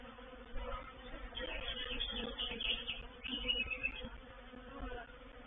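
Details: Reproductive swarm of honey bees moving into a bait hive (swarm trap) at Painted Peacock Manor on 04/07/21: a dense droning hum with layered harmonics that swells and fades in pulses, with thin higher whines of individual bees passing close.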